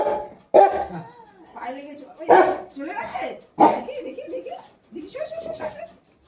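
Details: Angry pet Rottweiler giving a few loud barks separated by gaps, mixed with a woman talking in a gentle, coaxing voice.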